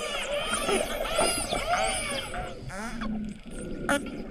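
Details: Hawaiian spinner dolphins vocalizing: a tangle of overlapping whistles that arch up and down, some sweeping very high, then a short burst of rapid clicks and a steady lower hum before one sharp broadband pulse.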